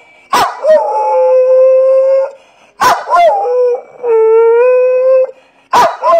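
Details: A rescued female Staffie and Boxer cross dog howls her 'woo woo': sustained even-pitched notes lasting one to two seconds, each opening with an abrupt yelp, with short pauses between them and a new howl beginning at the end.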